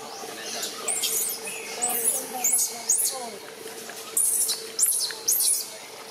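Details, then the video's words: Baby macaque Jixn throwing a crying tantrum, angry because mother Jade will not let him nurse, in Siem Reap Province: shrill, high arching screams in short bursts about every half second to a second, with a low steady hum beneath. "Million Pity Baby Monkey Jixn Crying Tantrum Angry Mum Not Allowed Milk"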